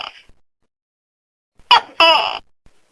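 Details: Tokay gecko giving a loud call: two harsh, croaking syllables in quick succession, the second longer and rougher, after a near-silent pause with a faint brief noise at the start.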